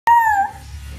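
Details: Miniature Schnauzer singing with a single clear, steady, tonal howl lasting about half a second, slightly falling in pitch, then fading into low background rumble.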